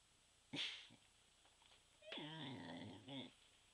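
A Pembroke Welsh Corgi gives a brief, wavering howl that rises and dips in pitch.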